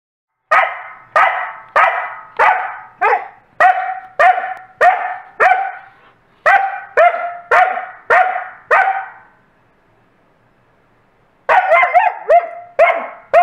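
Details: Covi, a coastal wolf, barking repeatedly to demand a toy from Peaches, a Wolamute: loud, sharp barks about every half second in a steady run of a dozen or so, a brief silence, then a fresh burst of barking.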